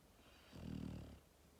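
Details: Max, a young Labrador Retriever born on 1 October 2019, snores while asleep: one deep, throaty, vibrating snore of under a second rises and falls against a quiet room.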